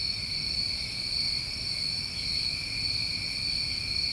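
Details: New England summertime crickets at night, a dense chorus of continuous high trilling bands layered at several pitches, steady and unbroken throughout, with a faint low rumble beneath.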